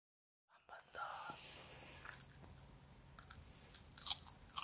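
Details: A timid female Bichon Frise, born March 2019, crunches a carrot given as a treat, with sharp, crisp bites and wet chewing in short bursts.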